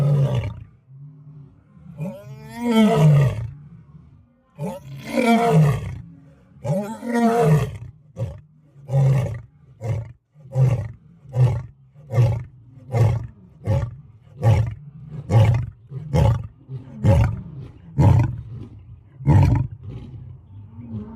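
A lion roars: deep, moaning full roars followed by a long run of shorter, evenly spaced grunts.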